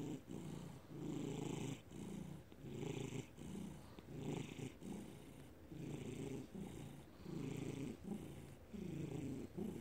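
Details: Felix the house cat, May 2019, purrs continuously: deep rumbling bursts alternate with brief pauses, about forty breath cycles a minute, each inhale and exhale audible as a rising and falling throb.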